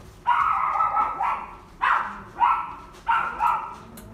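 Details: Shaded yellow female Kaninchen Dachshund, born 22 June 2019, kept at a pet shop, giving a run of high, nasal yapping barks, mostly in drawn-out doubled bursts, about five in four seconds.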